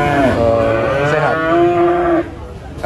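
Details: Cattle brought to the Prambanan animal market: two drawn-out, tonal moos, the first slightly falling, the second long and level, followed by a quieter stretch of market background.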